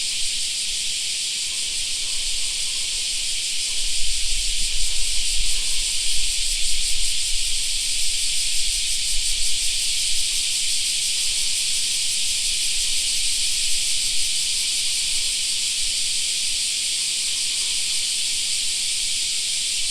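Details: Cicadas singing in a summer park: a dense, steady high-pitched buzzing chorus with a fine shimmering pulse throughout, and a low rumble of wind or traffic swelling in the middle.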